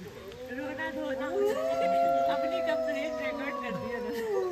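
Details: A female gray wolf out on a walk near Golden, Canada gives a long, smooth howl that rises, holds steady, then slowly falls away.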